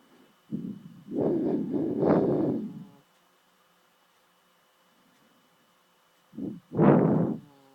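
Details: Adopted dog named Chloe snoring loudly in her sleep, rough guttural snores in a cluster over about two seconds, a long silent pause, then another loud rasping snore, with a steady faint hum behind.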